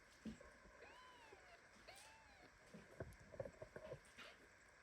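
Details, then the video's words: Held in a tight hug by mother cat Ginny, a premature kitten lets out two drawn-out arching meows one after another, then quiet scuffling and faint tapping sounds follow. "Mother cat hugs premature kitten so tightly that he starts meowing."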